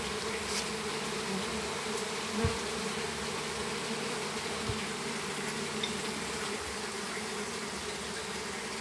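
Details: Flying swarm of western honey bees being collected in a home's backyard, Campo Grande. A thick, unbroken buzzing drone from many bees, with a couple of faint knocks over the steady hum.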